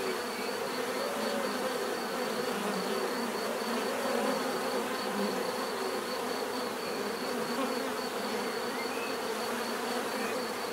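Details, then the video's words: Steady bee buzzing fills the air as a rich, even drone, while a faint high, pulsing tone runs along above it. "bees therapy relaxing natural buzzing sound"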